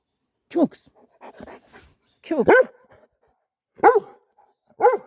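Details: Kangal shepherd dogs, a mother named Şila guarding her daughter from a dog called Cesur, with four sharp, irregularly spaced barks over five seconds and soft murmuring between them.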